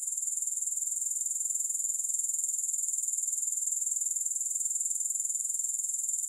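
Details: Grasshopper sound forms an unbroken high, sizzling trill, pulsed quickly and evenly for the whole stretch, with no music and nothing else audible.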